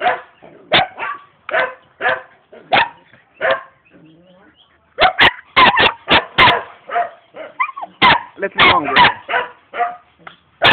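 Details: Barks from a young German Shepherd dog in Jamaica, spaced at first about one each second, then a silent stretch, then denser clustered barking with a human voice talking among them.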